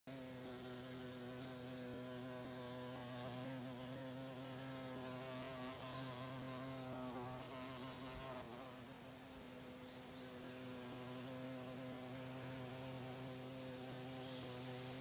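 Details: A female carpenter bee gives a low, steady, droning buzz while drilling holes in a house in Monticello, Georgia.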